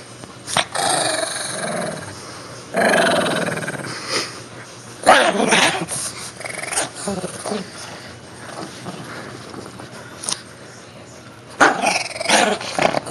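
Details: Shih Tzu named Joey playfully attacking a toy whale indoors, giving repeated rough growls and snarls in bursts, with quiet pauses between and a person's voice now and then.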